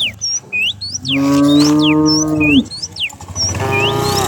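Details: Among dozens of cows herded down a hill in the rural countryside one morning, a cow gives a single long, steady, deep moo lasting over a second while small birds chirp and whistle busily.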